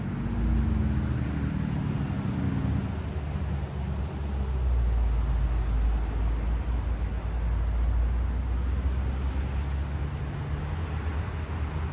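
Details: Steady low road traffic rumble and passing vehicle noise outdoors, with no animal sound present.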